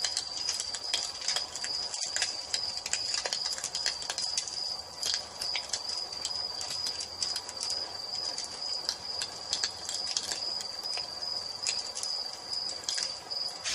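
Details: Crickets in an evening nature ambience by a fireplace: a steady high shrill trill with rapid pulsing runs throughout, over sharp crackles and pops from the burning fire.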